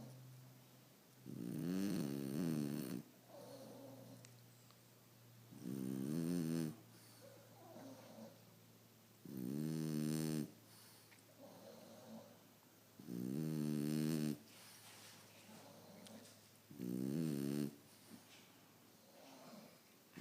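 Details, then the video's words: French Bulldog snoring while asleep; loud rasping, buzzy snores in long bursts about every three to four seconds, with softer wheezy breaths between them and a steady low hum in the background. "Frenchie Snoring"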